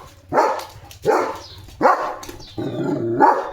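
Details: Domestic German Shepherd defending his area at the gate one morning, barking at another dog walking past the house: four loud, gruff barks roughly every 0.7 seconds, the last one longer and more ragged.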